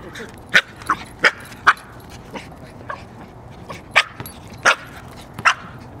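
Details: Male dog playing fetch and chasing basketballs on a walk at work; sharp short barks and yips in quick irregular bursts, with a man praising him and noisy background.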